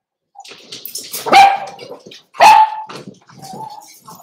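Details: Cavalier King Charles Spaniels in a home puppy pen on 13 December 2022, puppies socialising with older household dogs: a soft whine, then two loud sharp barks a second apart, each trailing into a steady whining tone, followed by a quieter whine.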